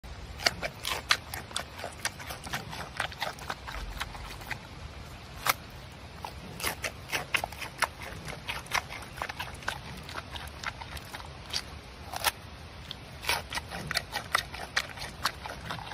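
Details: Giant panda eating, recorded close up. Dense, crisp crunching and snapping bites repeat irregularly throughout, with a soft low rumble underneath.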